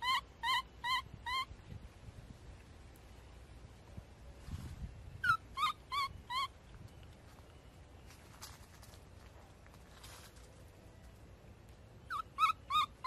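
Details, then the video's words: Abee, a baby monkey, screams in three short bursts of three to four shrill, wavering cries each, separated by pauses filled with rustling and soft thumps. "So sweet screaming baby monkey"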